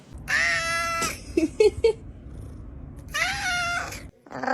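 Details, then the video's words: Domestic cat meowing indoors: two long, drawn-out, rich harmonic meows about three seconds apart, with short chirpy sounds between them. "Cat Meowing Sounds"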